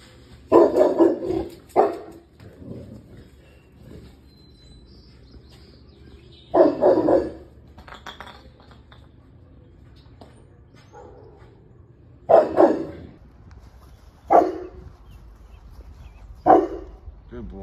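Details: Boerboels charging at a deer to protect their home, including Groot, a seven-month-old male who had never seen a deer: deep, loud bark bursts in irregular clusters, roughly six bouts across the stretch, separated by quiet gaps with faint background rustle.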